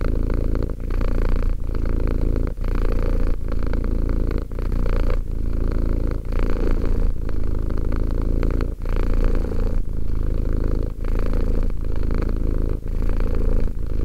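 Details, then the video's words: Sustained deep purring of a two-year-old house cat, rhythmic rumbling phases separated by brief dips as the cat breathes, repeating steadily for the whole stretch. "One hour of quality cat purring."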